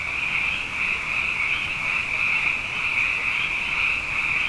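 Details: Frogs abundant after two wet years fill the night with an even, high-pitched pulsing chorus, overlapping voices swelling slightly and fading in waves.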